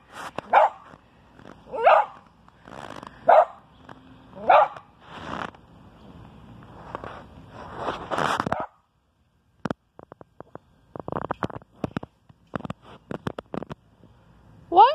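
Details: Bentley the dog barking at something unknown: a run of sharp, loud barks roughly every second or so for eight seconds, then quiet broken by clicking and knocking noises and one final bark.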